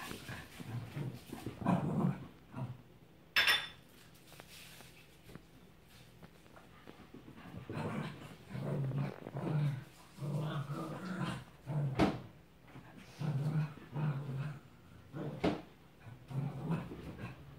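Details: Ruby and tricolor Cavalier King Charles Spaniels chasing each other around a coffee table; repeated short low growls and huffs in rhythmic bursts, with thumps and scrabbling of paws in a small room.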